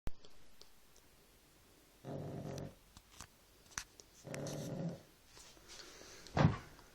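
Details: Sleeping dog snoring indoors: two low, rough, rasping breaths about two seconds apart, each lasting roughly half a second, with quiet breathing between and a brief sharp sound near the end.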